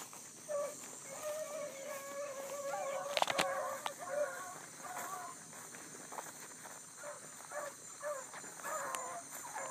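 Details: ['Bluetick hounds running a big rabbit that circled, early morning, July 2012, a new pup in the pack; a few clear bawls open the stretch, then fainter scattered bays under clicks and rustling.']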